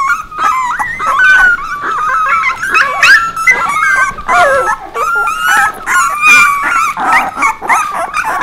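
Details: Puppies whimpering and yipping continuously, a tangle of high, wavering whines and short yelps overlapping with one another, with no pause throughout.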